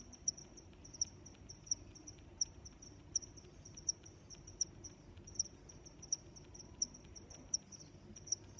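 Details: Crickets chirping, a shrill repeated trill with a bright accent near every three quarters of a second, regular and dominant over faint low rumble.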